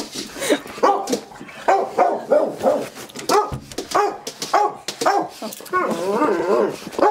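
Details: Excited morning greeting from two female dogs, a Leonberger and a mixed breed, indoors, with the mixed breed barking loudly for joy. Bursts of harmonic barks and yips come roughly every second, rising into rapid overlapping whines and barks near the end.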